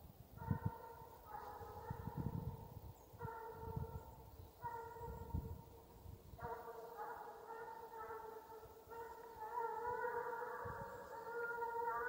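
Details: Russian hound in Ivanovo Oblast, Russia, baying on the hunt chase, a farewell song of the chase: drawn-out, ringing, tonal bays in bursts roughly every second, with deep low rumbling noise beneath throughout.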